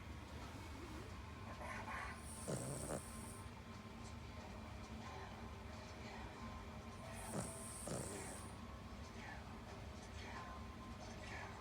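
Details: Cavalier King Charles Spaniel named Paco snoring loudly during a midday nap, recorded 22 October 2019 at 12:55; two long snores, each with a low rasping rumble and a high hissing whistle, about five seconds apart, over faint background noise.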